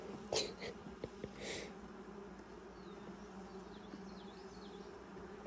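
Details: Honey bees at a hive during the first inspection of 2020, six days after nucs were installed; a steady low droning hum with a higher overtone runs throughout, with brief human voices near the start and faint distant bird chirps.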